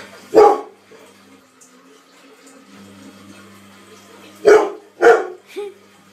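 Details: Labrador Retriever from a funny dog compilation giving three loud, deep barks, one early and two close together near the end, followed by a short softer yelp, with a faint steady hum underneath.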